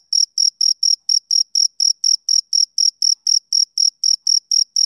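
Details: Male cricket calling on a summer evening, a short stretch of crisp, high, identical chirp pulses spaced roughly a quarter second apart, in otherwise silent surroundings.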